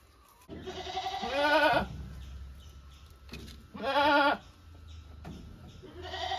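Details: Domestic goat bleating in loud, tremulous bursts of about a second each, two full calls followed by the start of a third, with a low hum underneath.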